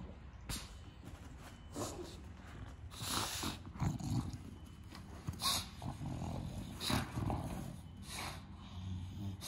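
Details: Pet bulldog giving short harsh snorts and grumbling breaths, separate noisy bursts every second or two, some sharp and hissy, over a low rumbling background.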